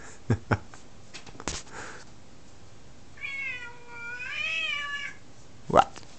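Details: F2 Savannah cat, female, about 9 months old, indoors, meowing for attention: after some clicks and thumps, one long wavering harmonic-rich meow about two seconds long, rising then falling, followed by a sharp knock.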